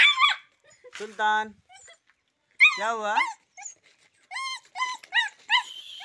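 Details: Rottweiler-Boxer mix puppy, called very aggressive, giving high wavering whines and short yelps while a man speaks to it between the calls.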